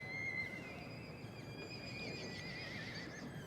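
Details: Welsh Cob yearling colt calling: a long, thin, high tonal neigh with stacked overtones, held for about three seconds with slight wavering in pitch, over a steady low rumbling background.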